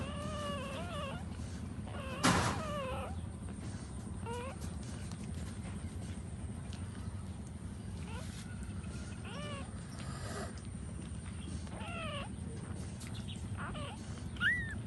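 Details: Puppies of a poor dog nursing from their mother as she stands; thin arched whines come in short bursts every second or two over a steady low rumble, with a loud thump early on and another near the end.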